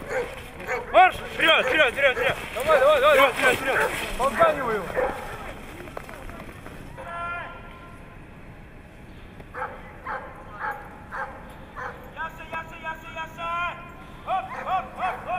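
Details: Siberian Husky in Nizhny Novgorod, 3 February 2017, a competition day: a dense stretch of warbling, talkative yowls, then after a pause a series of short, evenly spaced whining barks, each lasting under a second.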